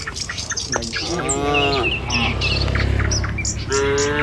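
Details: Tame village cattle on the move along a rural road to the pen: a single arched moo and a shorter one at the end, over low rumbling and scattered bird chirps.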